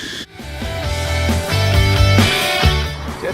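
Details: Loud rock music with driving guitar and drums, no animal sound present.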